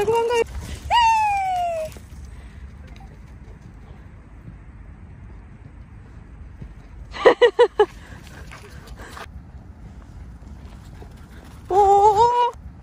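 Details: Mango, a male cream English Golden Retriever, happy that grandfather has come home: a long falling whine, a quick burst of short yips near the middle, then a rising whine at the end, with quiet room noise between.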